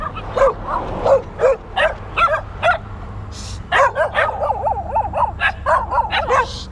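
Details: Dogs chasing and barking at a touring cyclist: a rapid run of sharp, high yelping barks, some in quick pairs, with a steady low hum underneath throughout.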